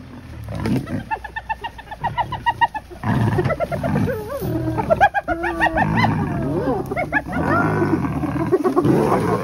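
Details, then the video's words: Lion cub surrounded by a clan of hyenas, calling its mother for help after leopards lost an impala carcass; repeated harmonic wailing and moaning calls over low growls and roars, with people laughing and talking nearby. "Lion Cub Surrounded by Gang of Hyenas Calls Mom for Backup"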